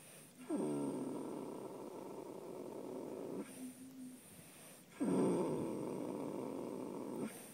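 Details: Minnie the Minx, a horse asleep and snoring: two long rasping, rumbling breaths, each lasting about three seconds, with a quieter gap between them.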